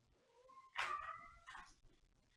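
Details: A kitten meows indoors as kittens, including one named Chevy, run around and play with the mail: a faint thin tonal note, then a louder bright meow with a wavering pitch, and a shorter second call trailing off.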